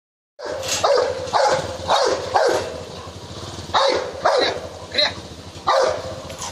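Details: Rottweiler attacking a man, giving a run of loud, harsh barks in quick bursts, about eight over six seconds, with gaps of noisy background between them.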